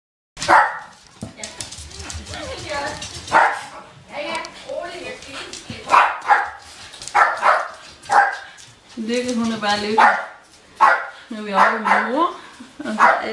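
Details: Bichon Frisé puppies of the V litter at a kennel, giving repeated high yelps and little barks, some drawn out and wavering in pitch, in bursts every second or two throughout, with human voices mixed in.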